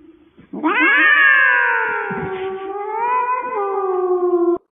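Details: Domestic cat giving one long drawn-out meow lasting about four seconds, rising sharply at the start then sliding slowly downward with a slight wavering lift near the end, harmonically rich and loud, indoors without other sounds.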